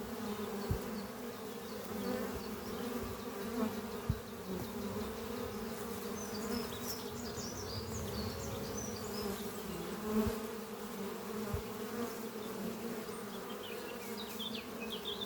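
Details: Worker honey bees buzzing around their hive beneath trees on a spring morning, carrying pollen; continuous layered droning hum, with faint high bird chirps in the background and occasional soft thumps.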